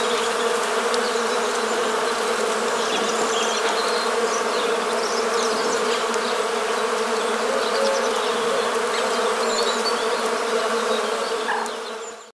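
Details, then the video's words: Continuous buzzing of many Western honey bees, countryside of Morbihan, Brittany, France, 1 January 2022 in winter: a level, dense drone with slight flickering texture, fading out sharply at the very end. "ABEILLE Domestique/Apis mellifera.01/01/2022 ? BRUITX"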